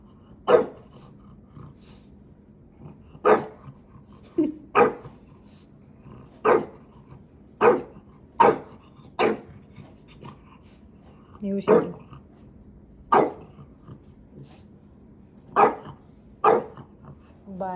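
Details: Playful pet dog Maui teasing his big brother indoors: a long run of sharp, punchy barks every one to two seconds, with occasional grumbles and a steady low hum underneath.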